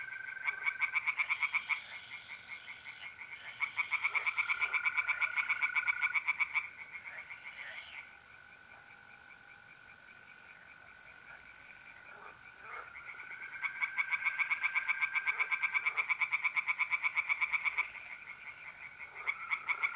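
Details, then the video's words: Tree frogs calling from a pond by night in mid-April, north-east Italy, alongside trilling mole crickets. Long bouts of fast pulsed croaking, a quieter gap of several seconds mid-clip, then the chorus resumes loudly. "relaxing singing tree frogs in pond and trilling mole crickets by night"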